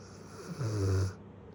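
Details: Lala, a female Great Pyrenees aged one year seven months, gives a single deep, rumbling snore lasting about half a second, rising out of and fading back into a quiet room hiss.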